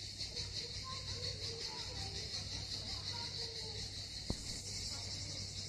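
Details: Cicadas singing on the southern coast of Crimea at Miskhor harbour, Yalta: a steady, high, shimmering buzz with a faint pulsing texture runs throughout, with soft low murmurs and rumble beneath and one sharp click near the end.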